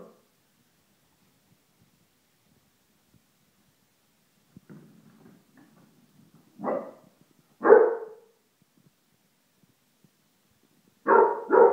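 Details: Indoors, a female Basset Hound barks at deodorant spray, which she hates; a few deep, loud single barks come at irregular intervals, with a pair close together near the end and quiet rustling before them.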